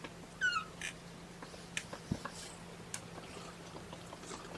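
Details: Kitten of Mama Seraphina's litter of four, objecting to being pottied before its weigh-in on 2018-10-01: one short, high, descending mew with bright harmonics, followed by soft clicks and handling noises in a quiet indoor room.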